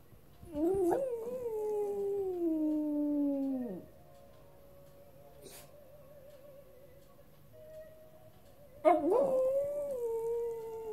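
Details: West Highland White Terrier howling, or singing, after a walk: two long drawn-out howls with a wavering, slowly falling tone that drops at the end, separated by a quiet pause of about five seconds.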